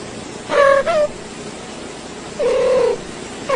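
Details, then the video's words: Domestic cat making three spaced meows, each steady then slightly falling, over a constant low background hiss. "Top 5 Cutest Cat Sounds"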